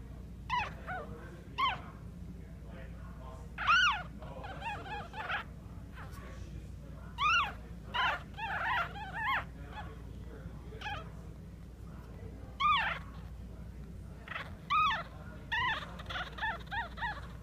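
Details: Young Maltese puppies in Clearwater, Florida, whining almost continuously: high, harmonic yelps and whines bending up and down, often in quick clusters of two or three, over a constant low background hum.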